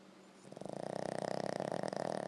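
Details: Boston Terrier dog giving a loud snore: quiet breathing, then a sudden rasping, fast-pulsing rattle that builds and holds steady to the end, with a soft constant hum in the background.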